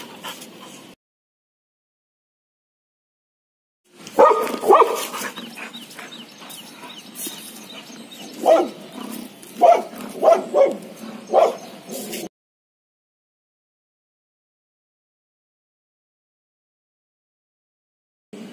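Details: Laddu the pet Labrador reacting to a monkey: a noisy stretch of barking, then a string of five or six short, tonal yips about a second apart before the sound cuts off.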